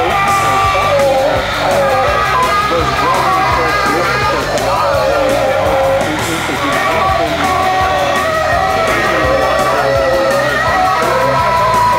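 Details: Guitar-led music with singing and a yelling voice fills the whole stretch, steady and loud, with no clear animal call standing out.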